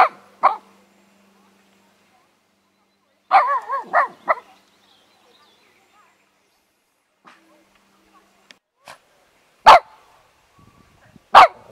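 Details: Japanese Spitz dog giving scattered sharp barks, a short burst of several yelps around the middle and two loud single barks near the end, separated by long quiet gaps indoors.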